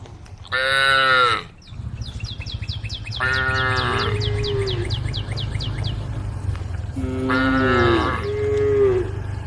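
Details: Domestic female cow calling to her herd while eating grass leaves: short loud moos, one early and a pair near the end, with softer lowing between, a steady low hum and rapid high chirping behind.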